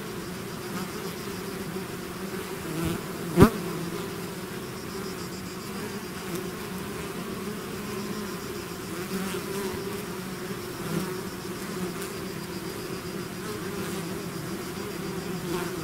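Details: Swarming bees out of the hive make an even, low buzzing hum throughout, broken by one sharp click or tap just after three seconds.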